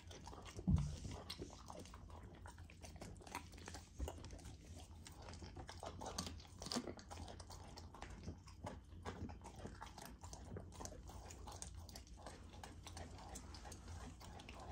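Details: Young female Golden Retriever chewing frozen raw dog food in a small room; dense wet chewing, slurps and crunches run continuously, with one louder bite near the start over a low background hum.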